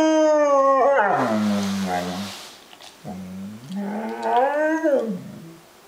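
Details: Female German Shepherd mid-howl: wavering tonal howls that dip and rise in pitch, breaking into lower, rougher sounds between phrases, with a second wavering howl rising and falling near the end.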